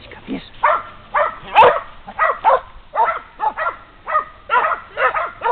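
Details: Two Polish Hound bitches give tongue at a wounded wild boar they have reached after 12 hours and 800 metres of tracking. Hoarse, ringing barks repeat roughly once a second, with one sharp yelp-like burst mid-series.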